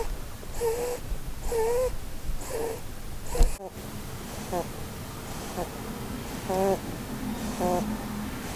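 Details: Sleeping Holland Lop doe named Blueberry, dreaming beneath a Christmas tree; a few clear whistled snore squeaks at first, then a brief knock and softer, fainter wavering squeaks against quiet room hum.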